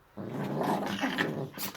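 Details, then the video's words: One of two Chihuahuas, Jessie and Eva, gives a brief continuous rumbling growl while playing, ending in a quick breathy snort. "Чихуахуа чихают играют"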